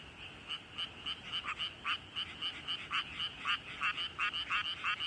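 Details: Frog calling beside a flooded rice paddy in the countryside, throat swelled hugely. Harsh, rasping croaks come in short bursts about twice a second, uneven in spacing, with a fainter chorus of other frogs behind.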